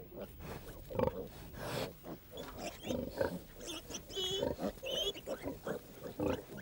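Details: A large sow in a farm pen, fed a mash of potatoes and carrots, gives low, rough grunts in short bursts roughly every second, with a narrator speaking over them throughout. She farrowed a litter of piglets about 15 days earlier.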